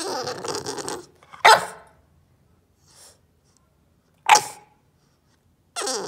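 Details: Indoors, a protesting bulldog puppy barks on demand after being stopped from biting a couch corner: grumbling growly sounds, then two abrupt loud barks roughly three seconds apart, ending with another low grumble.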